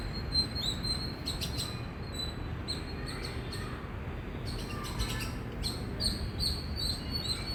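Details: Indian squirrel chirping loudly: short, piercing high notes, some in quick clusters, others spaced apart, with brief clicky bursts and a constant low background rumble.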